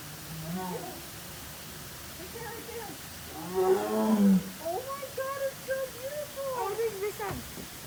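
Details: At a zoo, a tiger gives a deep, throaty roar that swells and falls away, with people's voices around it.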